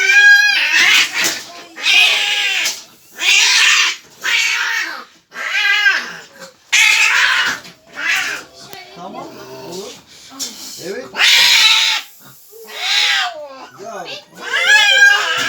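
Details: Cat at the vet, agitated and likened to a tiger, giving loud drawn-out wailing yowls in bursts of about a second, repeated irregularly, with people speaking soothingly in Turkish between cries in a small room.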